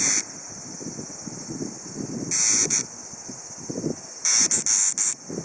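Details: Tsukutsuku-boshi cicada recorded around 17:26 on 12 August 2013 while being caught by bare hand: loud, hissing, high buzzy bursts, some broken into quick pulses, over a steady cicada drone, with rustling and handling noises low down.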